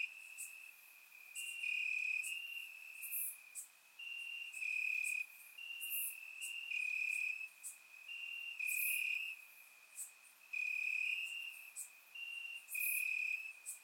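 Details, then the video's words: A warm summer night in Bulgaria with crickets chirping in the grass, recorded with a surround microphone. High, pulsing trills come again and again in roughly one-second bursts, several callers layered, with faint sharp high clicks scattered through. "Cricket Sounds - Crickets Chirping at Night"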